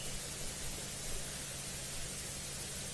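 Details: Only a steady, hissing wash of broadband noise with a low engine-like hum is heard, with no animal voice. It sounds like a running vehicle or machinery throughout.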